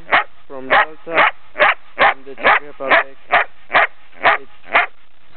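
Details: Female Belgian Shepherd, nearly ten months old, recorded 3 March 2007 in Brno, Czech Republic: a run of about eleven sharp, evenly spaced barks roughly every half second, with short whiny harmonic yelps tucked between some of them.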